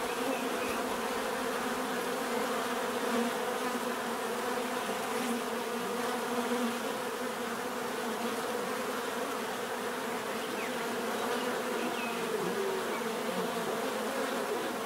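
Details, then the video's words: Bees buzzing naturally in a steady, dense hum of many overlapping wingbeats, a low droning band with brighter harmonic layers above, unbroken for the whole stretch with no other clear sounds. "bees therapy relaxing natural buzzing sound"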